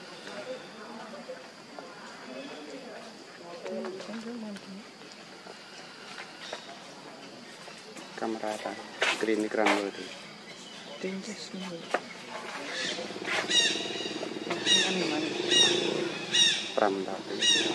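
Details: Baby monkey Leo, hungry, crying and begging its mother for milk: voices talk at first, then loud, harsh, strained cries with rich overtones burst out again and again in the second half, rapid and uneven.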